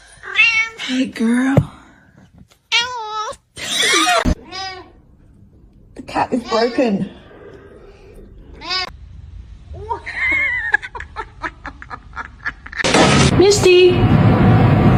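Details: Domestic cat meowing in a funny pet compilation: a run of short, bright, harmonic meows, some rising then falling, spaced irregularly over several seconds, with human voices between them and a loud burst of noise at the end.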